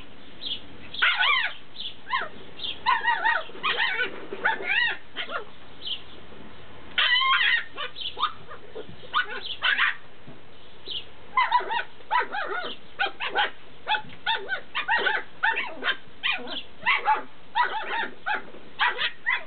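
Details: Tibetan Terrier puppies from Berlin/Brandenburg yipping and whining together: short, high, squeaky yelps and bent whimpers overlap in dense bursts, broken by brief pauses, running almost without stop through the recording.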